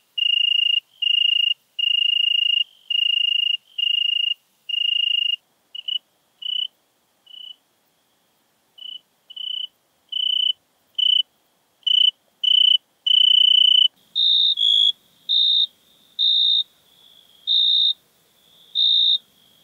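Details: Singing European tree cricket, Venice, Italy, 2 September 2021. Steady, ringing trilled bursts start long and evenly spaced, then become shorter, broken chirps. Near the end the pitch jumps slightly higher for several brief pulses.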